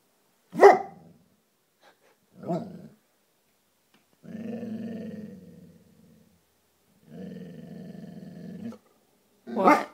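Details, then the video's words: English Springer Spaniel named Tucker, indoors, reacting to a piece of hair floating in the breeze on a curtain: sharp single barks at the start, middle and end, with two long low rumbling growls between them. "dog barking at floating hair"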